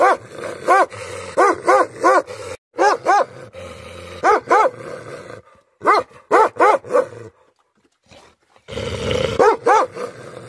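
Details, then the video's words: Angry Tibetan Mastiff (Bhote Kukur) barking in rapid deep runs of three to five barks. The runs are broken by brief silences and a rough growling rumble near the end. "Angry dogs barking effect sound ||Tibetan Mastiff || Bhote Kukur"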